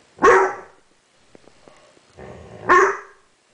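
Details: Young dog, seven months old, puzzled by a mirror and barking at it: a loud single bark, a pause with faint soft sounds, then a low grumble rising into a second sharp bark.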